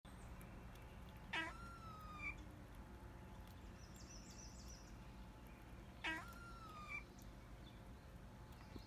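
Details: Pet cat making cute noises: two short calls about five seconds apart, each opening with a sharp burst and sliding into a thin, steady, slightly falling tone, over a quiet indoor hum with faint high chirps in between.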